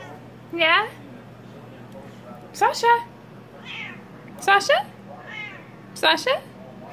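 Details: Siamese kittens indoors complaining at being kept off the kitchen counter: four loud, rising-then-falling meows spaced about two seconds apart, with a woman talking softly between them.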